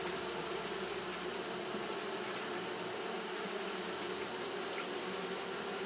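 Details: Japanese honey bees fanning steadily on a hot day, making a dense, unbroken droning hum with a low tonal band and a bright hiss above, constant throughout with no pauses.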